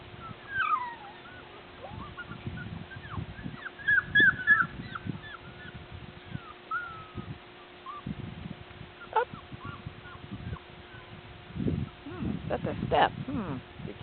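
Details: Border Collie puppies from Nell and Skeet's litter, out and about on April 8, 2016, learning to climb stairs. They give high, thin whines that bend up and down in short bursts throughout, with scuffling thumps and rustling beneath.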